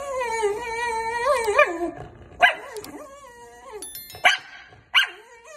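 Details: Pet dog producing a long wavering whine that rises and falls, then a series of short sharp yips and barks about every half second.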